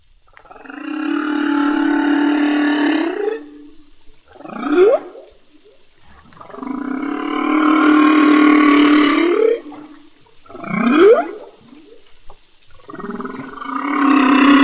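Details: Male humpback whale song recorded underwater in the Revillagigedo Archipelago Marine Reserve: long, droning, harmonic moans alternating with quick upward-sweeping whoops.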